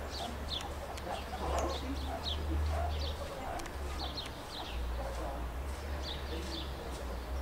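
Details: Meerkats at Rostock Zoo in Germany chirping and calling: short, high, sharp chirps come in loose bursts, several per second at times, over a steady low hum, with some softer mid-pitched calls in between.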